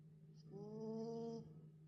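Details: Pet dog sound asleep after a session at the dog park, letting out a single drawn-out whistling snore of about a second, a steady tonal breath with layered overtones over a constant low indoor hum.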